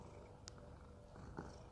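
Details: Domestic cat, a rescued animal living in a home in Cooktown, Queensland, Australia, eating tuna paste; a low, steady rumbling purr of fast even pulses over 2 seconds, with a soft click and faint background noise.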